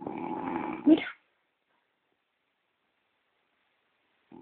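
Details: Snoring from Gordon, a sleeping French Bulldog kept as a pet. A single buzzy, droning snore lasts about a second and ends in a sharp squeak, followed by silence.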